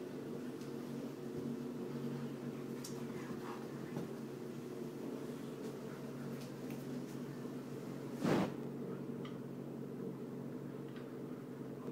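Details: Steady fan-like hum in a small room, with scattered faint clicks and one brief soft squishing burst.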